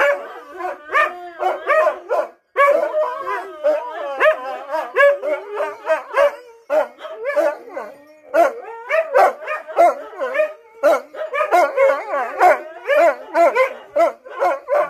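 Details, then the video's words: Husky singing: long, dense series of warbling howl syllables and short yelps, pitch sliding up and down, almost unbroken across the recording with one brief gap early on. "Singing the song of our people!"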